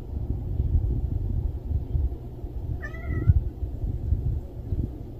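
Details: A stray cat gives one short meow near the middle, a brief tonal cry that bends slightly downward, set against a steady low rumble of background noise.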